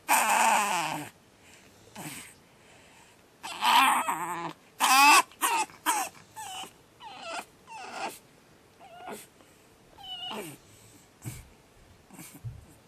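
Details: Batman, a Pug puppy, screams through his second night: a long loud shriek followed by a string of rising and falling yelping squeals and whimpers, spaced irregularly, each a second or less, fading quieter toward the end.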